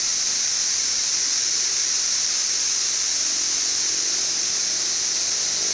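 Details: Brood XIV periodical cicadas, a 17-year emergence in Frankfort, central Kentucky, heard in June 2008 in insane heat and bright sun: an unbroken, shrill wall of droning sound, even in loudness throughout.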